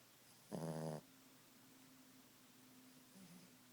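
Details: Boston Terrier Ziggie snoring at nap time: a single harsh, vibrating snore of about half a second, followed by near silence with a faint steady hum.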